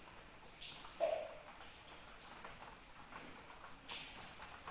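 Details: Crickets calling in the rain, played as a sleep soundscape: a steady, very high, finely pulsed trill runs unbroken throughout, with soft raindrop patters scattered across it and one brief lower-pitched tone near the first second.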